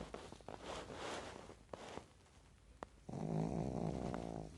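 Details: Pekingese named Apollo taking a daytime nap in REM sleep, eyes left open, snores indoors: short breathy rasping snorts, then from about three seconds a steady low, buzzy, droning snore.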